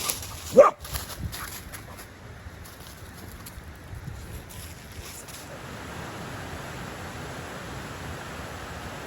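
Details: A single abrupt dog bark right at the start, followed by several seconds of quiet, steady outdoor hiss with no further calls.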